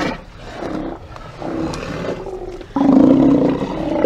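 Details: Steller sea lions at a haulout on 24 September 2018, recorded by a live camera: rough, growling roars in layered harmonic bands, weaker at first, then a loud, sustained bellow starting near the three-second mark that carries to the end.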